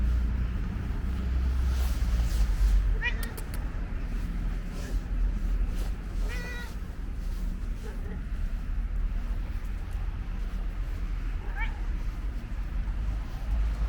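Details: Orange and white stray cat at a bus station giving short, wavering meows at irregular intervals, about three in all, over a heavy low rumble of traffic and occasional human speech.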